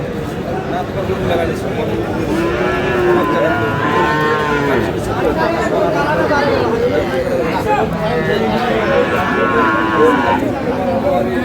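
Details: Friesian and cross-bred bull calves at Aftabganj cattle market in Dinajpur on a Tuesday market day, 29 July; two drawn-out, harmonic moos rise above constant crowd chatter and buyers' talk.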